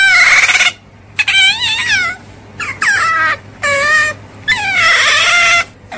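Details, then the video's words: Short rising-and-falling otter squeals, several in quick succession with gaps between them. "Suara Berang - Berang"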